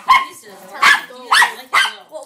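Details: Norfolk Terrier reacting to odd sounds from a wrapping paper tube: four short, sharp barks spaced about half a second apart, each bright and harmonic, in a quiet indoor room.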